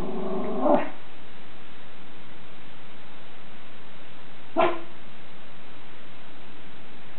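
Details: A Schipperke guarding the house gives two sharp, short barks about four seconds apart over a steady low hum.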